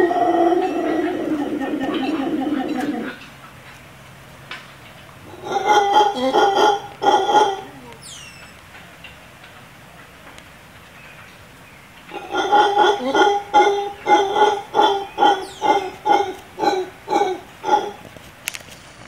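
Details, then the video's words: Wild howler monkeys calling back to a human "speaking" to them from the trees above a pool and tennis court in Playaverde, Costa Rica. Two bouts of deep, throbbing roars are heard, the second a long run of rhythmic pulses after a quieter pause. "Talking with Howler Monkeys"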